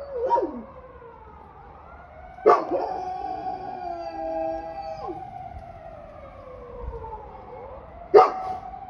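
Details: A young Golden Retriever named Retsu, 1 year 5 months old and weighing 42 kg, from Sapporo, Hokkaido, howls in long, drawn-out wails that dip and rise, each started by a short, harsh burst.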